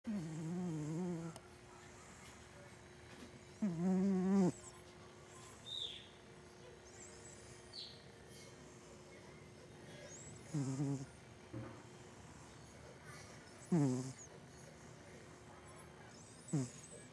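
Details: Sleeping cat snoring: short, low, wavering harmonic snores of about a second each, spaced several seconds apart, with faint thin high whistled tones in the quiet background.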